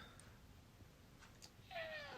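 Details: House cat asking to be let outdoors in cold weather: one brief, falling meow at the very end after near silence in a small room.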